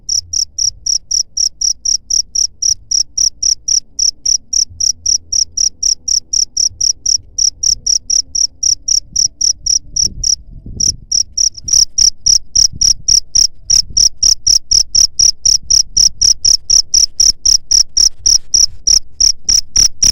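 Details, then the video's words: Cricket chirping, its sound used to drive away rats: a steady high, ringing pulsed chirp repeated about four times a second, continuous throughout with a brief gap near the middle, faint low rumble underneath. "SUARA JANGKRIK PENGUSIR HAMA TIKUS"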